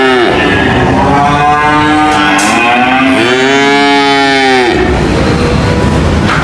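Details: A cow gives a long, loud moo, then a second deep call that rises and falls over about two seconds, with softer lowing from other cattle behind.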